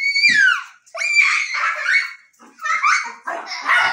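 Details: Jack Russell Terriers at play indoors: a run of high, strained yelping barks and whines in quick bursts, with short pauses between, and a person calling out.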